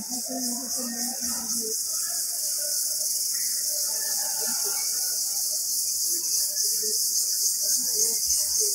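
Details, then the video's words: In the jungle, an Indian cicada's steady, piercing high-pitched whine runs unbroken throughout, with soft murmuring and scattered low sounds in the background. "Noise of Indian cicada in jungle"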